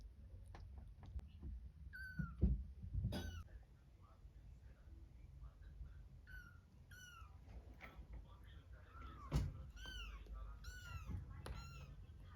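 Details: Kittens and their mother cat calling: bright, bending mews in scattered clusters, a pair near the start, more tightly bunched ones toward the end, with a couple of soft thumps and a steady low hum.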